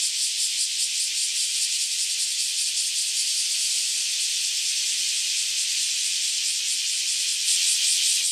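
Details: Loud massed buzzing from a crowd of cicadas freshly emerged after roughly a decade underground, singing together before taking flight; continuous high, hissing drone with rapid rhythmic pulses throughout.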